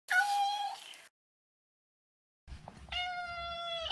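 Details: Two steady, level meows from a male neutered Maine Coon, each lasting about a second and separated by a short silence; the second is preceded by faint shuffling and holds a flat, clear tone.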